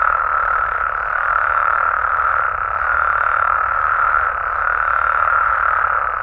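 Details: Nighttime amphibian chorus in Mexico, frogs and toads trilling together in an unbroken, even wall of mid-pitched calls that pulse gently, with nothing else clearly heard.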